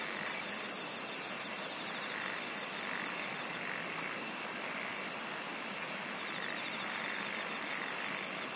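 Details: Insects singing in a noisy night-like chorus. Shrill, rapidly pulsed trills flare at the start, midway and near the end. A thick layer of rasping chorus and a wash of broadband hiss fill the background throughout.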